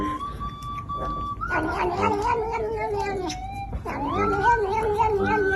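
A domestic cat gives long, wavering, drawn-out yowls that bend up and down in pitch.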